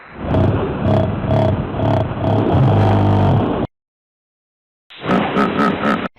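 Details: Hippopotamus giving deep, rumbling grunts in a steady rhythmic series of about two pulses per second, heard in two bouts separated by a short silence.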